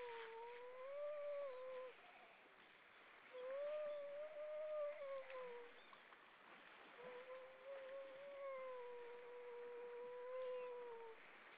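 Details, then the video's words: A grey seal's evening song in the Baltic Sea, Estonia: three long, clear, wavering moans with a rich harmonic overtone, each lasting two to four seconds, separated by short pauses. "Grey Seal, evening song"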